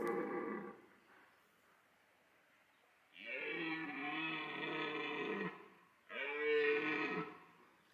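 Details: Red deer stag in rut at Parc Sainte-Croix wildlife park in autumn, bellowing to attract females: three long, harmonic-rich roars, one short, then two of about two seconds each, with wavering pitch and quiet gaps between.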